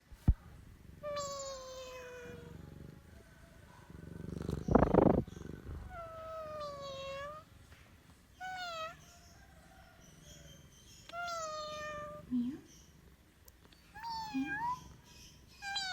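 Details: Domestic cat giving a series of drawn-out meows, several falling in pitch and some wavering, spaced irregularly with short quiet gaps; a loud rustling bump midway and a few brief chirp-like squeaks near the end.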